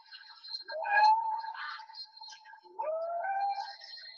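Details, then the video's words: Humpback whale song played back from a recording in a talk on marine mammals of the Salish Sea in British Columbia waters, where only males sing; smooth tonal moans rising and sweeping upward, two drawn-out upsweeping units with faint overtones. "So here's a little humpback whale song for you."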